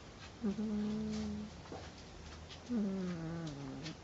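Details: A 10-day-old female Northern Inuit puppy snoring as she sleeps: two short nasal whistles, each starting with a sharp rise and then sliding gently downward, in a quiet indoor space.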